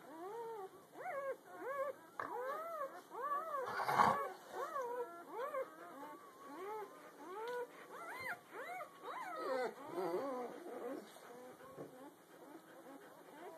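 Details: Newborn puppies from a litter less than a day old, the morning after birth, squeaking in a dense chorus of overlapping arched, whiny cries rising and falling in pitch, about eighty a minute, at an uneven pace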